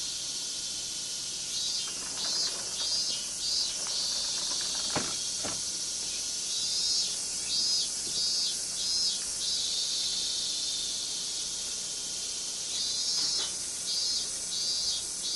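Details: Summer cicadas in Minami-Magome, Tokyo, August 1991: a hissing high-pitched drone that swells and fades in uneven pulses, with a few sharp clicks and knocks in the middle.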